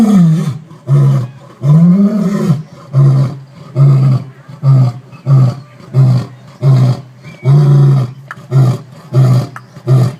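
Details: A male lion at the San Diego Zoo sneezes, then gives a deep, booming roar that breaks into a series of low, throaty grunts.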